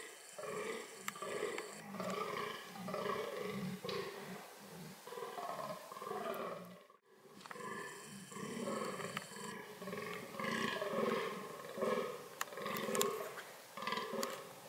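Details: Fallow deer (Dama dama) engaged in reproductive behaviour: repeated hoarse, grunting calls in a long series, broken by a brief silence midway, then resuming at a similar pace with light background crackling.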